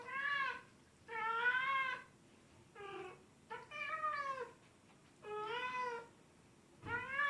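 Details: Cat (Felis catus), meows.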